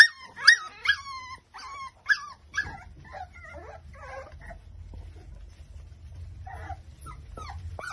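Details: Five-week-old Exotic Micro Bully puppies, a litter in Buffalo, New York: a quick series of sharp, high yips with falling tails opens, followed by softer broken whimpers, a lull with low background hum, then a few rising whines.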